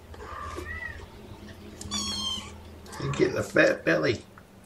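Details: Cuddly kittens being hand-fed formula by syringe on a morning in May 2018: two thin, drawn-out mews, the second longer and steady, then a person talking.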